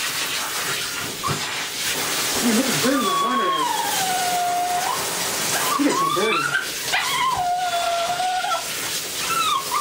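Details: Jesse, a Lhasa Apso, whimpers through a bath: long, drawn-out high whines bending up and down, with shorter quavering cries between them, all over constant splashing water and a soothing human voice.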